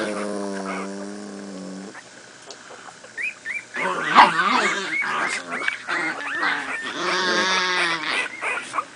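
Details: Newborn litter of miniature pinscher pups, two weeks old, playing; a low steady drone opens, then scattered short squeaks swell into a busy chorus of shrill whimpers and yelps.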